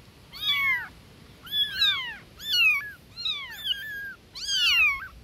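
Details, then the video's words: Newborn kittens meowing loudly for their mother cat, high-pitched falling cries, five separate calls in about five seconds, some overlapping as several kittens call at once. "Newborn Baby Kittens Meowing Compilation"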